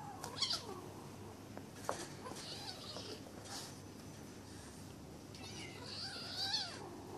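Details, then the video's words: Playful sparring among Bengal kittens kept by a pet shop in Kuching, Sarawak, on Malaysian Borneo: a short bright mew at the start, scuffling noises, then a longer wavering cry near the end. "Bengal kittens sparring"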